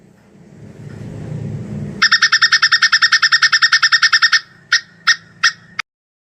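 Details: Plantain squirrel mating call: after low rumbling background noise, a fast burst of bright, sharp chips begins, runs evenly for about two seconds, then breaks into four separated short bursts.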